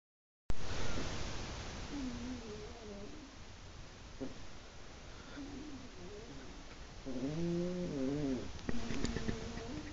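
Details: Two elderly domestic cats, both over 15 years old, one black and white and one brindle, snoring as they sleep together indoors; soft, low, rough breaths with a buzzy nasal rise every few seconds over quiet room hiss.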